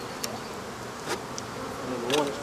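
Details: Continuous droning buzz of many African honey bees as their hive is taken out, with a few brief clicks and knocks.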